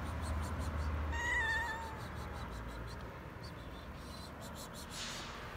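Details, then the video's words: A stray cat that has returned to a roof asks for food with one loud, drawn-out meow that dips slightly at the end, followed by quieter ticking and bird chirps. "the stray cute 🐈 cat came again on the roof and meowing for food!"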